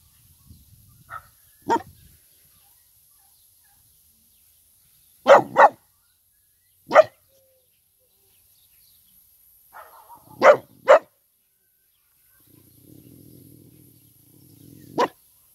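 A Vizsla gives sharp, single barks, spaced irregularly and sometimes doubled in quick pairs.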